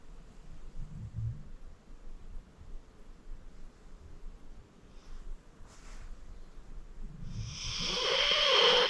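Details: Acorn, an elderly rescued pit bull of 14, snoring while asleep indoors: two low rumbling snores several seconds apart, ending in a loud rasping, wheezy breath.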